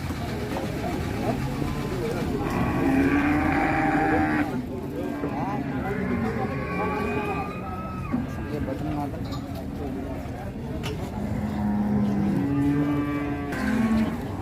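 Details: Giant Pegon cattle at a busy Indonesian cattle market: several long, droning moos with rising and falling pitch overlap one another, beneath constant crowd chatter, background music and passing vehicles.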